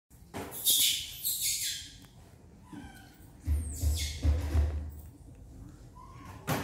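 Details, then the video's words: Jemmy, an orphaned infant monkey rescued by villagers near a forest, hungry for milk: shrill, high squealing cries in quick bursts early on, then scattered softer squeaks among low rustling and handling noises. "Jemmy is very hungry for milk"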